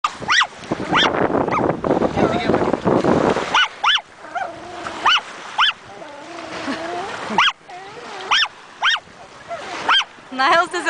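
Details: Chihuahua on its first visit to the ocean in summer 2008, barking at the waves, stirred up by wind and surf; after a few seconds of wind and a voice, short sharp high barks come in quick bursts, with people talking between them.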